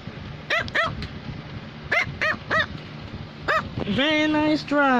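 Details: A female Cavalier King Charles Spaniel barks for her owner's attention. Several sharp, high yaps come singly and in pairs, followed by a drawn-out human vocal sound at the end.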